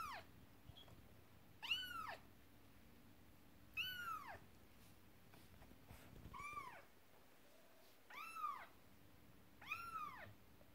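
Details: Cats at home, the mother upset as her kittens play with their first toy, a horse-drawn carriage. Five drawn-out arching meows spaced roughly two seconds apart, with a constant low hum and soft knocks in the background.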